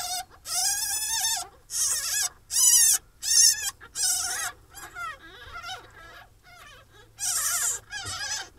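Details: Newborn pine marten kits, first week, in a captive breeding programme in England, cry in loud, high, harmonic squealing bursts about a second long, repeated with short pauses, then softer broken whimpers before another loud squeal.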